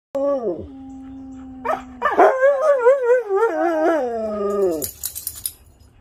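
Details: Siberian huskies Haven, Sam and Storm howl together with a visiting best friend on a Sunday: a long steady low howl, then overlapping wavering, rising and falling tonal howls from several dogs, ending with soft yips.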